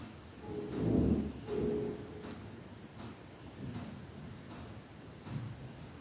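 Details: Pet cat snoring through his afternoon nap: soft, low, rasping snores come in a steady breathing rhythm, the first few carrying a faint humming buzz, then quieter breaths against a hushed indoor background.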